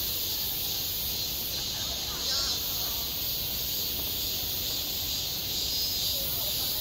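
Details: Summer cicada chorus on a school playground, a continuous shrill hissing buzz that holds steady throughout, with only soft, indistinct distant voices beneath it.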